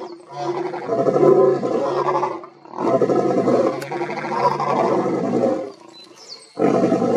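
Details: Male lion giving an intense roar while two males in the background join in, forming a dense, rumbling chorus of layered roars in long surges with brief pauses between them.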